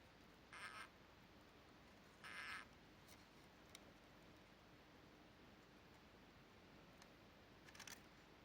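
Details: A crested gecko, woken and disturbed from sleep, gives two short, raspy chirps about two seconds apart.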